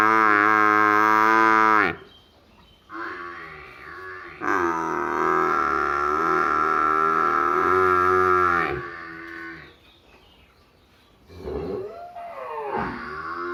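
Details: Buffalo calf in a village giving loud, drawn-out harmonic bawls: a two-second call, a short one, then a long steady bawl of about four seconds, and after a pause two shorter wavering calls.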